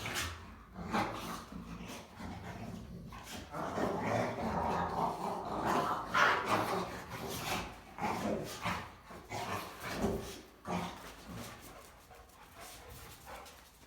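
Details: Three Rottweilers, including females humping each other, give rough, irregular barks mixed with low rumbling growls and snuffling noises while playing and chewing.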